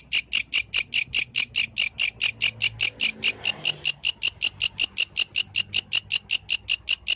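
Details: Shrill pulsed stridulation from a yellow grasshopper at night, quick even bursts about five per second, with a brief soft rustle midway.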